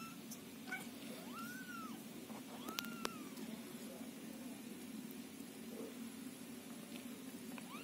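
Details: Scottish Fold and Scottish Straight kittens call from a box during cleaning of their house while the mother cat stays near to soothe them; two clear arched meows, then a rising one at the end, with light clicks and steady hum.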